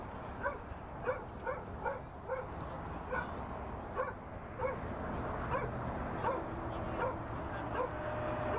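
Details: A two-year-old Border Collie on its first time working cattle, recorded in November 2016; short sharp barks repeat roughly every half second to second over steady outdoor rumble and wind noise.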